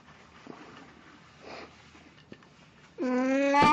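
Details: Near the end, Plan the pet cat, wearing a Snow White costume on 1 April 2017, starts a loud, rising, harmonic meow after several seconds of quiet room sound and a soft thump.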